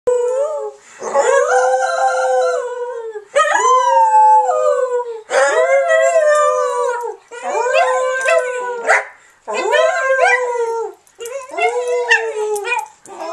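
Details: Pet dog named Charlotte howling along after people howl, unsure what she howls at; long tonal wavering howls near mid pitch with rich overtones, rising and falling, repeated in six bouts separated by short pauses.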